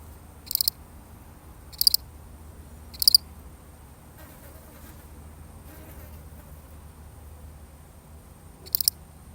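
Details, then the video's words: One lonely cricket chirping alone in a real recording: three short, high, pulsed chirps about a second apart, a long pause, then one more chirp, over faint low hum. "The sound of one lonely cricket"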